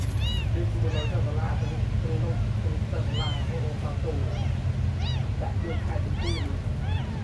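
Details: Tiny abandoned kittens, described as among the smallest, mewing constantly: short, high, arching squeaks that overlap and repeat throughout, several voices at once, over a steady low rumbling hum.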